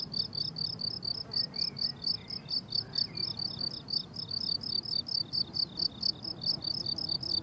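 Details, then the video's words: Summer meadow crickets in full bloom season, rhythmic high chirps repeated roughly twice a second in tight pulses, with faint thin bird notes in the background and a low breezy hum. "Relaxing Cricket Sounds on a Summer Meadow"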